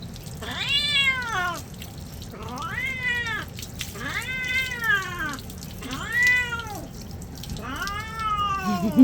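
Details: Unhappy cat during a bath, meowing five times in nine seconds, each call arched and wailing, rising then falling, spaced about two seconds apart, while a person talks softly and water drips.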